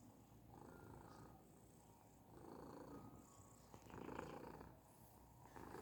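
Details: Persian cat purring steadily, a coarse low rumble that swells and fades in slow waves, louder around the fourth second, with a few faint tonal streaks above.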